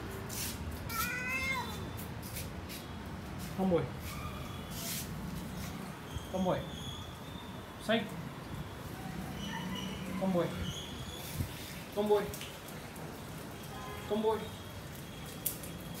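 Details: A cat gives a string of short meows, repeated every couple of seconds, while a person calls to it and coaxes it to take something.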